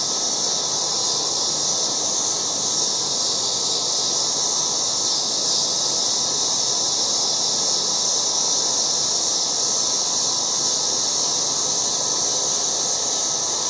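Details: An August yard filled with loud cicadas: an intense, sustained high whirring drone with slight pulsing texture, never pausing, over a faint lower rustle, with no birds, voices or traffic audible.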